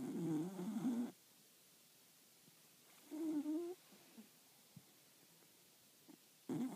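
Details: Snoring from a four-year-old solid black Cocker Spaniel with a velvet coat: raspy, gurgling breaths lasting about a second, separated by roughly two-second quiet gaps with faint soft clicks.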